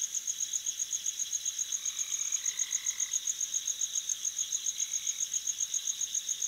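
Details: Crickets chirp in a steady, high-pitched pulse, several beats each second without pause, over a continuous lower insect hum on a summer night at a lake in Minnesota or Michigan, upper Midwest USA.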